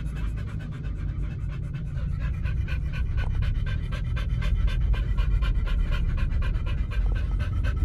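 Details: Dogs Oliang and Nomyen at a dog hotel, on a raw-food diet of chicken and pork, breathing in fast steady panting, about four quick breaths each second, with a faint background hum throughout.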